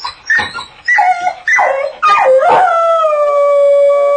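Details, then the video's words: Dog howling in a crate: a few short rising yelps, then a long, steady, harmonic-rich howl that glides down and holds a level pitch to the end. "Jessie dog - The Howling"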